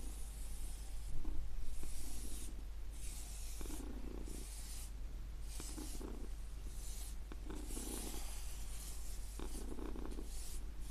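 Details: A domestic cat purrs in a low, steady rumble beneath soft, rhythmic brushing strokes.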